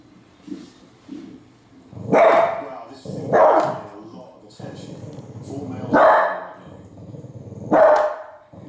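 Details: Female Cavalier King Charles Spaniel, which dislikes bears, barking at Alaskan grizzly bears: four abrupt, punchy barks spaced irregularly one to two seconds apart, with a man's narration running underneath.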